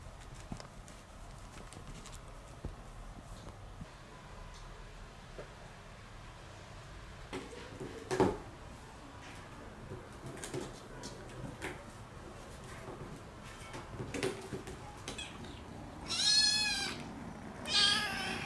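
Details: Motherless rescued kittens playing with a cardboard box indoors; scratching, tapping and rustling for most of the clip, then two short, high, wavering meows close together near the end.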